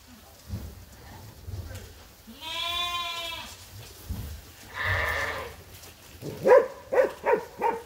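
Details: Farm sheep awaiting their feed during daily feeding chores: a drawn-out, wavering bleat, then a second, rougher bleat, followed by several short, sharp, evenly spaced sounds near the end over low background rumble.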